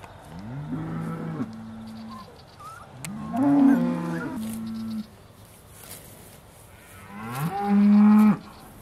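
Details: Beaulands Aussie Red dairy cows recorded in December 2012 just before milking, giving three long, low, droning moos of about one to two seconds each, separated by short pauses in a quiet shed.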